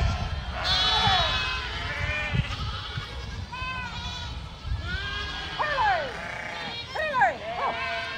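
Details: Dozens of young goat kids mixed with lambs, jumping and playing, bleat loudly: many overlapping wavering, harmonic cries, several sharp falling calls near the end, over a low rumbling background.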